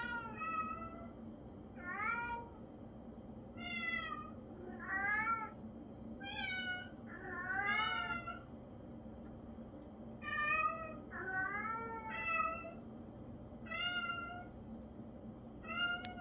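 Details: Traditional Siamese cat vocalizing repeatedly indoors, a long series of short to medium meows about every one to two seconds, some rising, some falling, several doubled, all strongly harmonic and nasal-toned, with steady low hum beneath.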